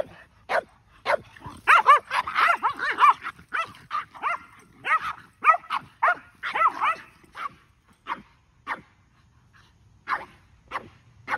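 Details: Kumo the Keeshond and his brother Sully the Boston Terrier in an epic play chase, Kumo with a muddy butt; dense bursts of sharp, excited barks and yips, some overlapping, with quieter gaps toward the end.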